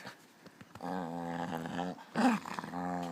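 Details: A Hungarian Puli dog makes contented, satisfied noises: long, low, droning groans broken by a brief higher whine.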